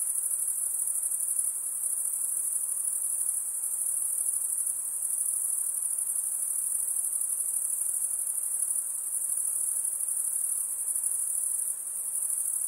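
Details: Insects heard near a calm lake, a steady high-pitched continuous trill holding without pause, with faint soft hiss beneath.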